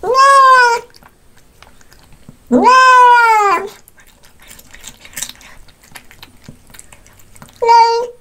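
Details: A cat eating fish gives long, loud, rich meows, one rising then falling, separated by quiet chewing sounds in a small room.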